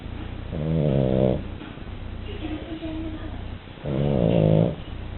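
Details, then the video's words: A sleeping French Bulldog snores indoors: two long, rasping, harmonic snorts about three seconds apart with quieter breathing between them, over a steady low hum. "Bulldog frances Duna roncando"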